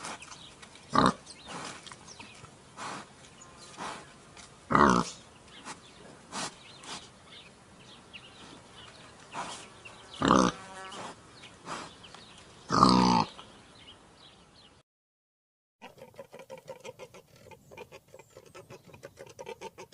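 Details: Wild boar making loud broadband snorts and grunts roughly every two to three seconds, then a brief silence followed by a rapid run of soft rhythmic grunting.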